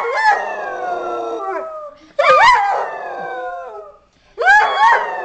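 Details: Dogs singing in three drawn-out howls about two seconds apart, each opening with a quick wavering rise and then trailing off in a long, smooth downward slide before falling silent.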